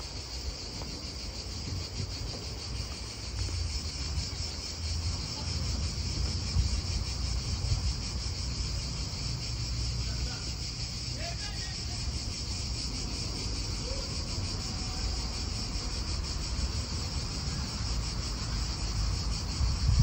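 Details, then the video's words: Cicadas in an Italian park: a steady, high, shimmering buzz with a fast pulsing texture runs throughout, over a low rumble of wind and nearby cars, with a few faint bird notes around the middle. "Cicadas wind real atmosphere in an Italian park"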